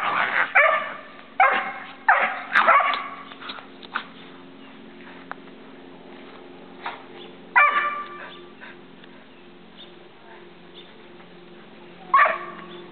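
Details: Fourteen-month-old Standard Poodle puppy at play with a Boston Terrier; bursts of yappy barks and growls cluster in the first four seconds, again near seven and a half seconds and at twelve, over a constant low hum.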